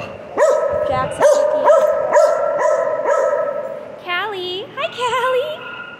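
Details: Pet dog Piper talking: a sustained, even, howl-like note carries through, punctuated by quick arching yelps about twice a second, then ends in two wavering, bending woo sounds.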